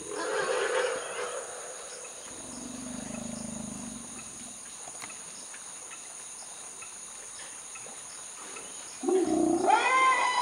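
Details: Infant male elephant calf that appears lost, screaming as young females come to care for him: a harsh, bright harmonic burst at the start, a low rumble in the middle, then another loud scream at the end.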